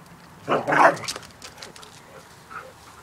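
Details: Dogs Charlie and Loki playing together in summer: one sharp, loud bark, followed by a few softer huffs and a faint yelp in a quiet room.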